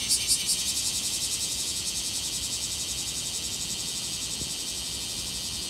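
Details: Bear cicada at Tsukudabori, Japan, recorded on a mid-August 2018 morning; loud high buzzing pulsed about three times a second at first, then settling into a steady, faintly throbbing drone.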